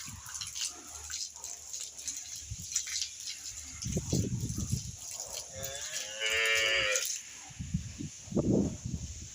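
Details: Holstein Friesian dairy cow, six teeth in age and giving 13 litres of milk, kept with her calf on a Bangladeshi farm; one drawn-out, harmonic moo lasting about a second, with a man talking in Bengali and clattering, dripping sounds around it.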